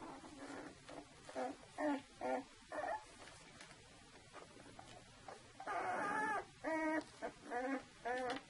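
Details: Saluki puppies from the Vision litter at two weeks old, giving short high whimpers and squeals in irregular bursts, some longer wavering cries, in a quiet indoor room.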